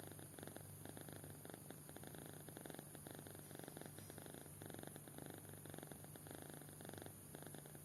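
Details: Kitten fast asleep, snoring: a soft, steady rhythmic pulsing with a low hum underneath, each breath cycle lasting under a second, quiet and continuous throughout.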